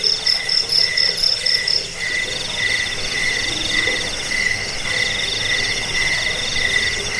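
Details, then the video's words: Cricket sound used to drive away rats, help with sleeplessness and tutor cage birds. Shrill pulsed chirps open the recording, then give way to a denser, continuous trill with softer repeated pulses throughout. "Suara jangkik pengusir tikus pengantar tidur"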